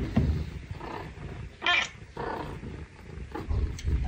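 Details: A young male Scottish Fold rescue cat, in an affectionate mood, purrs in a low, steady rumble broken by soft rustling noises.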